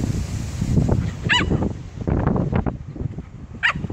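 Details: Jack Russell Terrier Alfie trying to intimidate and out-muscle a much bigger Labrador x Poodle puppy: low rumbling growls and scuffling throughout, broken by two short, sharp, high yelps near the start and the end.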